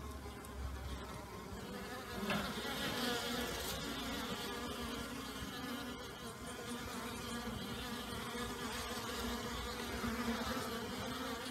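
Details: ['Many honey bees flying on a day warmer than usual for the new year, following heavy rain the night before; a dense, continuous humming drone holding level throughout, with a brief louder swell just after two seconds.']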